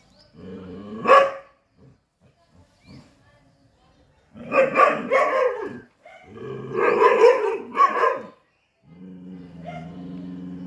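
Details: Chippiparai dog fighting monkeys, alternating low droning growls with bursts of barking: a single bark early, then two dense clusters of harsh, overlapping barks, before the growl returns.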